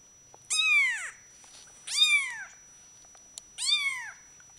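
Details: Male Bengal cat meowing indoors: three clear, drawn-out meows, each rising briefly then falling in pitch, spaced about one and a half seconds apart in a quiet room.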